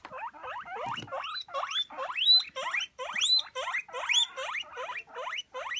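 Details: Hungry guinea pigs waiting for food give a rapid, continuous series of shrill rising squeals, roughly one per half second, overlapping and jostling, with a brief rustle near the start.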